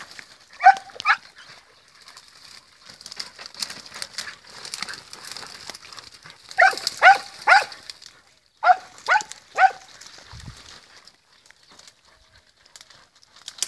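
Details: Podenco hunting dogs ranging through the field while searching: sharp, ringing barks in short bursts, two near the start, then a run of four and a run of three, separated by quiet stretches with faint rustling.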